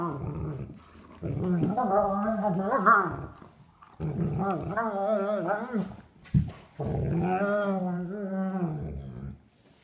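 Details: Duke, a three-year-old sable German Shepherd, plays indoors with nine-week-old sable puppy Havok, first time without a toy; three bouts of undulating, groaning growls, each a few seconds long, separated by short pauses and a sharp thump.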